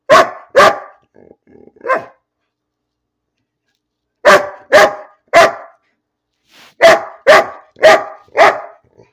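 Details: Dog barking for no apparent reason indoors: loud sharp barks in a quick pair, a short soft whine, then two bursts of three and four evenly spaced barks after a pause.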